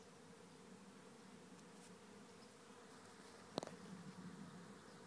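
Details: Bee swarm going into a trap hive in Rathcabbin, Tipperary, Ireland; constant low droning hum of thousands of bees, broken by one sharp click or knock partway through.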